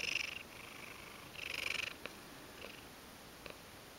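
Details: Drowsy Ragdoll cat giving a big yawn while purring: a few buzzy, pulsing purr cycles, loudest near the start and middle, then quieter with only faint ticks and clicks.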